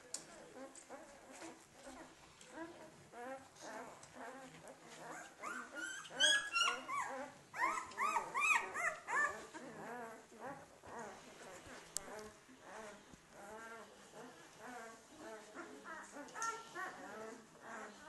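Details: Landseer puppies from one litter giving many overlapping high whining and squealing calls, busiest in the middle, with soft voices in the background.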